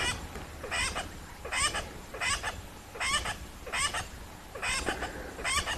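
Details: A tree squirrel at Rietspruit Game Reserve in South Africa's Lowveld, filmed at sunset, alarm-calls with its tail moving, a harsh, rasping churr in steady bursts roughly every 0.8 seconds over a faint low rumble.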